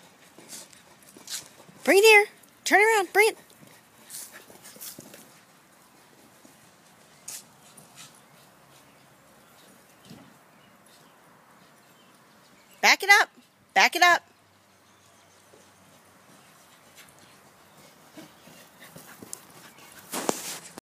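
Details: Corgi named Augie herding his ball around a backyard, giving two pairs of short, loud, harmonic barks about ten seconds apart, with a quieter yelp near the end and a few soft scuffs between.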